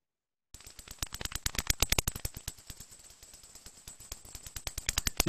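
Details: Big brown bat echolocation from Ontario, each call sweeping from about 65 down to 25 kHz, made audible as a live approximation: a rapid series of dry, sharp clicks like a rattle.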